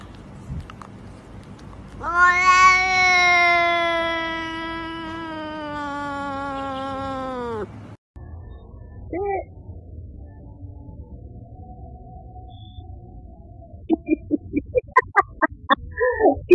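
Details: Domestic cat giving one long, drawn-out meow of about six seconds, harmonic-rich and steady before sagging in pitch at the end, then a short chirp-like call and a run of quick sharp taps near the close.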